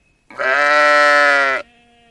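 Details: A single sheep gives one loud, sustained, steady bleat of over a second, richly harmonic, followed by a faint distant bleat.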